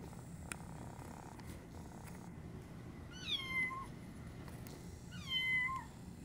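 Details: A Scottish Kilt kitten, a rare cross of a Scottish Fold and a Standard Munchkin with both folded ears and short legs, gives two thin, high meows that slide downward, about two seconds apart.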